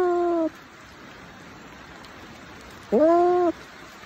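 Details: A cat calls twice: one meow cut off at the start, then after a long pause a fuller, rising-then-level meow lasting about half a second, over steady hiss.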